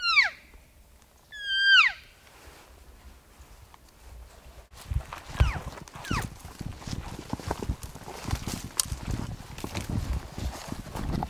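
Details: Bull elk bugling at close range during an archery hunt on September 7, 2018, answering game calls from a ridge point between two basins; two loud, high whistled bugles slide steeply downward, then fainter calls follow amid rustling and footsteps.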